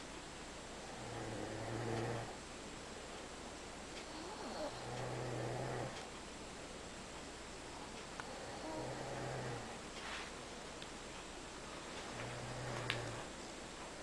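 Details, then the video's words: A pet dog asleep, snoring steadily: low rumbling snores about every four seconds, four in all, each a soft throaty drone with a breathy hiss, over a quiet background. "Snoring and Sleeping Dog"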